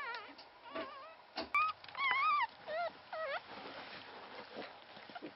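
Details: Newborn Pomeranian puppy, only one of three born to survive, Pomeranian father and part-Pomeranian mother; a few short wavering squeaky whimpers amid soft rustling and handling noises.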